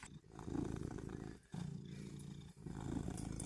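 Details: Charlie, a pet cat, exhausted after deep sleep yet excited by a laser pointer dot, gives low rumbling, chattering vocal bursts in three pulses separated by brief pauses; soft indoor background.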